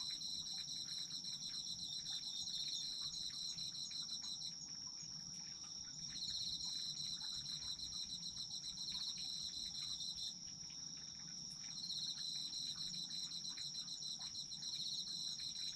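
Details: Chorus of autumn insects for sleeping: an unbroken high shrill tone with a pulsed chirping layer that switches on and off in phrases of a few seconds, a brief pause around ten seconds, faint low background.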